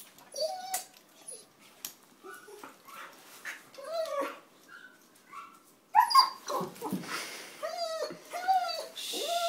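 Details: A basenji mix "sings" in warbling, yodel-like whines, each a short rising-and-falling arching note repeated in quick bursts, with a person's voice faintly heard in the room at times.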